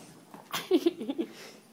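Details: Pet dog, a Mastiff or Dogue named Indy or Brumis, indoors at Christmas while opening presents from Gran: a quick run of short, low, tonal whining grunts, about five notes in under a second, with soft rustling.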